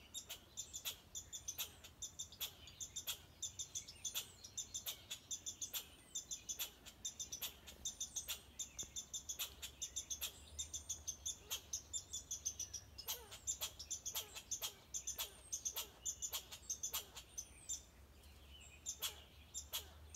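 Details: Persistent barking from a red squirrel: hard clicking chucks repeated quickly for twenty seconds, sometimes bunched in pairs, while faint high-pitched bird whistles sound behind.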